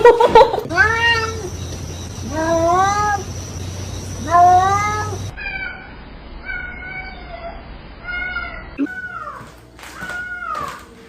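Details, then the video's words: Domestic cat 'talking' in a string of repeated meows, each rising then falling, several short chirping calls in quick succession, with a person speaking softly and a low background hum. "I knew they can talk"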